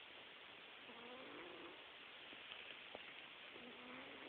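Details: Sleeping pet cat snoring softly; two brief whistly, nasal breath sounds about two and a half seconds apart, nearly buried under loud steady hiss.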